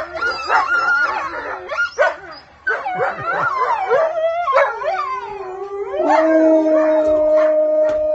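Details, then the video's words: Wolfdogs and a wolf howl as a group: broken yips and quavering notes at first, then two steady long-held howls settle at different pitches near the end. "Wolfdogs howling with wolf"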